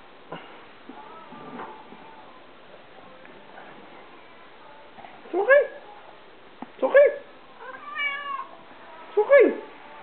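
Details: Indoor recording of Souris, a half-Siamese mixed-breed pet cat, meowing four times in the second half, with drawn-out, downward-bending meows spaced about one to two seconds apart after quiet soft sounds.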